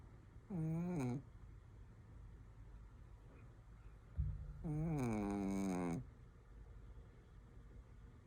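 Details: Shih Tzu snoring indoors: two breaths, each a buzzy, harmonic-rich rasp with a slight wavering pitch, the second longer at about a second and a half, separated by quiet room hiss.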